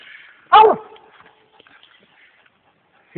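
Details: Four-year-old male American Leopard Hound treed on a raccoon in the Mongo swamps on 4 May 2010, giving a single loud, abrupt bark, then a pause before the next bark begins, with a man talking nearby.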